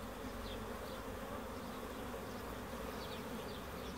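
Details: Honey bees giving a steady, dense droning hum that stays even throughout, with a few faint, short high chirps in the background.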